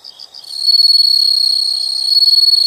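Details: Insects calling in a nature sound recording: after a few short pulses, a loud continuous high trill with fine rapid pulsing sets in and holds steady, with faint background chirping.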